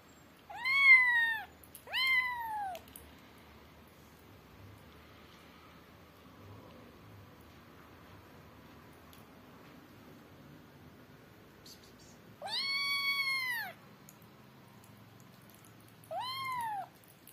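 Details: Adopted kittens at play indoors, a naughty black kitten among them biting an earphone; four high, harmonic-rich meows that rise then fall, two close together early, then a long pause before two more near the end, in a quiet room.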